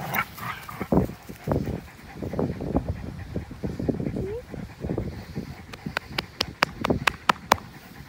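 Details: An American Pit Bull Terrier plays with a Belgian Malinois cross on April 21, 2019. Quick breathy huffs and scuffles are followed by a run of sharp regular clicks near the end.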